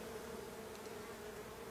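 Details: Buzzing of a drone-laying honey bee colony that a beekeeper says is doomed without intervention, before he shakes the frames away from the apiary; an even, continuous droning hum with a clear steady tone.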